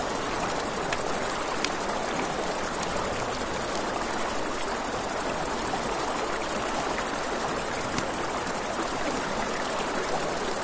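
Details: A continuous high cricket trill carries through a night scene by a river, steady from start to end, above rushing water and a softly crackling campfire with a few faint pops.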